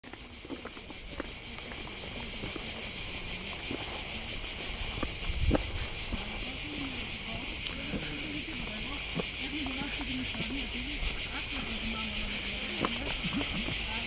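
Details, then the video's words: Cicadas at the Old Fortress of Corfu sing a dense, continuous buzzing drone with a fine rapid pulse that steadily swells louder, while people talk in Greek in the background and footsteps pass. "Cicada sound at Korfu Old Fortress"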